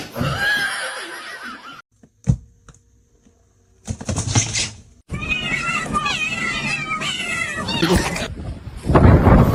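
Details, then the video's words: Domestic cat meowing indoors, a run of wavering, drawn-out cries mixed with people talking, laughter and background music, broken by abrupt cuts and short silences. "kitten meowing crying"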